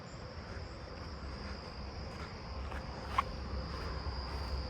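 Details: A southeastern field cricket in a backyard neighbourhood at night on 7/29 gives a long, even, high buzzing trill over low rumble, with a single faint click near the end; in person it sounds like a really loud buzz.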